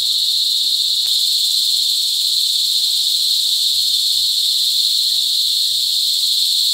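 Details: Loud mating calls of cicadas, recorded up close at Sitio Bagumbayan, Brgy. Balabag, La Carlota City, Negros Occidental, in cicada season on July 18, 2020. The shrill, constant buzz never pauses, with a single faint click near the start.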